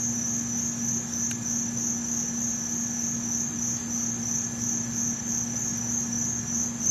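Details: A field cricket in Montgomery Village, Maryland, in August 2012 gives a steady, high, shrill stridulation that runs on without pause.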